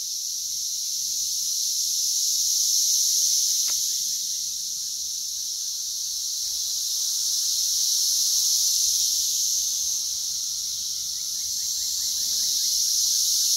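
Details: Brood X periodical cicadas in a plentiful June 2021 emergence in West Virginia, crawling everywhere, averaging around 85 dB: a dense, steady, high-pitched buzzing chorus that swells and eases slowly in long waves.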